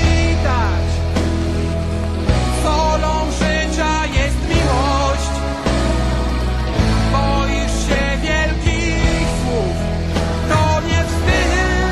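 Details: Loud rock music with guitar, drums and singing fills the whole stretch, with no animal sound audible.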